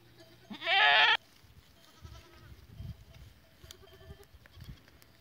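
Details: Goats recorded on 14 April 2023; a single loud, wavering bleat lasting about half a second, rich in harmonics and slightly rising, then quiet background with faint scattered knocks and rustling.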